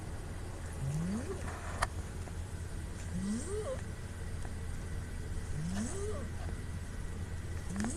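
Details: Puu, a female pet cat, asleep and recorded on a smartphone, makes strong snoring nasal sounds. Here it is a whistled, rising squeak from low to mid pitch, repeated about every two and a half seconds over a steady low hum.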